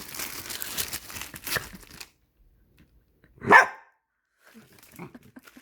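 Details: Indoors during a plastic-bag tug game, a nine-year-old Dachshund gives one sharp, loud bark after a stretch of crinkling plastic, followed by silence and a few faint rustles.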